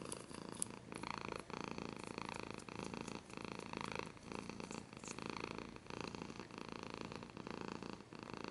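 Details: Domestic cat purring up close, a steady rumbling purr in rhythmic inhale-exhale pulses roughly every half second, with brief scratching sounds, especially near the start.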